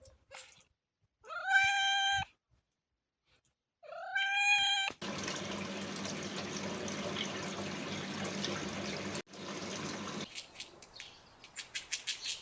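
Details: Domestic cat giving two drawn-out meows with rising then level harmonic tones, each about a second long, followed by a long stretch of rushing, water-like noise and then scattered clicking sounds.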